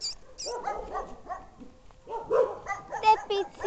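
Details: Two dogs, a brown dog and a Bolognese, barking: short harmonic yapping barks in irregular bursts, a pause mid-way, then a denser run of sharp barks.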